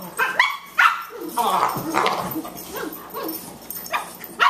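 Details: Play between two Boxers, puppy Margie at 14 weeks and elder Lou Dog, yields quick high barks and a drawn-out snarling growl in the middle, broken by brief quiet gaps.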